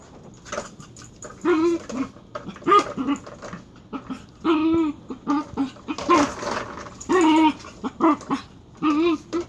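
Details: Dachshund making odd, squeaky vocalizations: short wavering whines and yelps with a tonal, bending pitch, some rising then falling, in bursts roughly every second, with quiet indoor background and faint voices.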